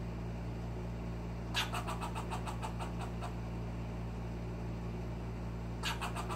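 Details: A young squirrel gives rapid, sharp chattering alarm notes, its first alarm, warning of a cat in the backyard, over a steady low engine-like hum.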